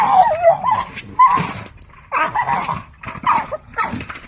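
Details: Dog making funny sounds: a run of short, wavering, grumbling whines and yelping vocal bursts, rising and falling irregularly, roughly two per second, up close.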